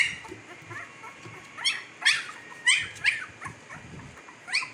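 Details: Newborn Siberian Husky pups, 15 days old, in Pakistan; soft short squeaks build into a run of louder, shrill, falling yelps and whimpers, several overlapping from more than one puppy.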